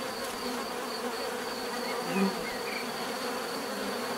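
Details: Continuous buzzing from many bees, an even droning hum with one bee flying close past just after two seconds, plus a faint chirp from a distant bird.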